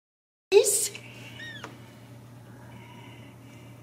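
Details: Ragdoll kittens raised in the home without cages at a cattery in central Kansas; a loud rustling thump, then one short high mew with a hooked, rising-then-falling tone, followed by faint thin tones over steady low hum.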